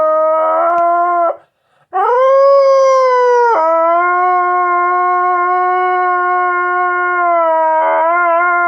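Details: A house dog gives long, sustained howls, each holding a steady pitch after a brief rise.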